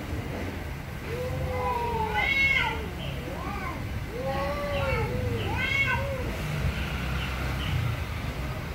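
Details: Very angry cats meowing loudly: a run of drawn-out arched meows, several overlapping, rising then falling in pitch, with a steady low background rumble throughout.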